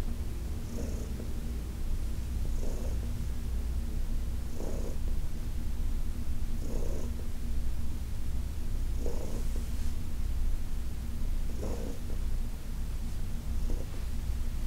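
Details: Heidi, a senior cat adopted from the Humane Society of New York City, purring during a massage on August 4, 2021: a steady, deep rumbling purr with soft breathy swells recurring about every two seconds.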